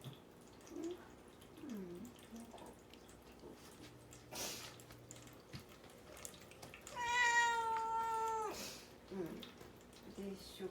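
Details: Mamedaifuku, a pet cat isolated in a cage indoors and fasting without water before castration, cries to be let out. One long, steady, strongly harmonic meow lasts about a second and a half, ending abruptly, amid quiet voices and small household clicks.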